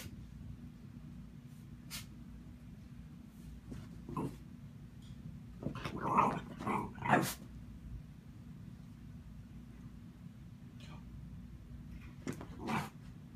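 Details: A Shiba Inu trying to play with cats gives short, rough grumbling yelps, mostly in a quick cluster of three.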